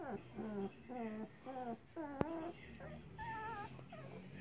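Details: Two-week-old Rottweiler puppies whimper in a run of about seven short, high, wavering cries, several sliding downward, with brief pauses between them and a sharp click in the middle.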